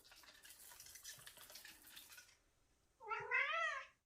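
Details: Seven-year-old cat hunting: soft hissy rustling for two seconds, quiet, then a single loud, quavering, bent meow-like cry lasting under a second.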